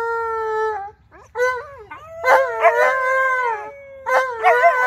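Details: Two Alaskan Malamutes, Tonka and Monroe, howl on St Patrick's Day: a sustained tonal note, a short pause, then layered wavering howls from both dogs with sharp yipping onsets and bending pitch.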